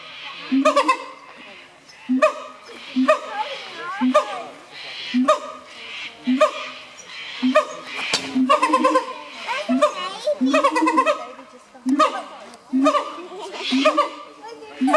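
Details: Siamang gibbons from the forests of Malaysia, Thailand and Sumatra calling in a long series of loud, harsh, harmonic barks and hoots, bursts coming roughly every second with some overlapping voices.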